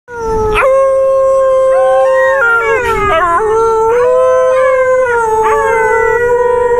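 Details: A Siberian Husky leads a pack howl with a long, sustained howl that wavers and shifts pitch as other voices join in.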